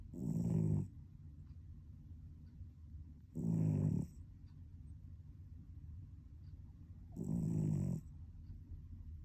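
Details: A sleeping cat snores steadily, giving three low, grating, rumbling inhalations, each under a second long and spaced about three and a half seconds apart, with near silence between them.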